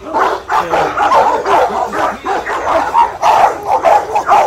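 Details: Seven-month-old Rottweiler puppies, excited as they are let out for a ball, bark and yip in a quick overlapping burst of sharp barks.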